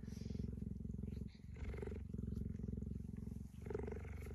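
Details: Tame big cat lying on a plaid blanket beside its owner, purring in a deep, continuous, rapidly pulsing rumble that pauses briefly for breath, while a woman talks softly to it.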